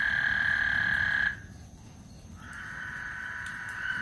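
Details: Lake Houston frogs singing before a thunderstorm; the shrill continuous trilling chorus cuts off abruptly after about a second, falls quiet for roughly a second, then gradually builds back up, with low rumble underneath.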